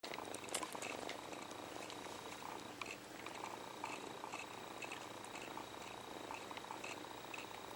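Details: Kitten purring as it sucks its paw, a comfort habit from being separated from its mother very early; a soft, steady rumbling purr runs throughout, with scattered small clicks and wet sucking noises indoors.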